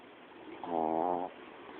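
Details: Sleeping female pet dog giving a single short snore, a humming, harmonic drone lasting about half a second over a quiet background hiss.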